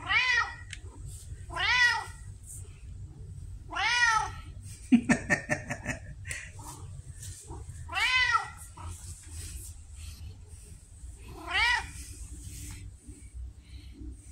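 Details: Indoors, Pumpkin the female red tabby, vocal like a Siamese and waiting for food, repeats arched meows roughly every two seconds, six in all, with a brief clatter of handling noises midway.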